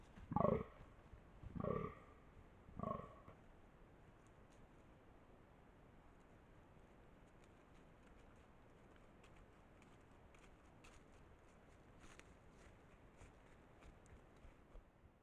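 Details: At night in autumn, during the rut, a male fallow deer (Dama dama) gives three deep, belching groans about a second apart, a rutting call.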